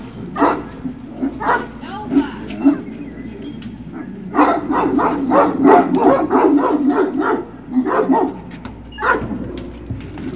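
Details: At Puppy Hill on 21 March 2019, Great Dane puppies bark in short, bright bursts, about three a second at the busiest stretch, over a constant low hum.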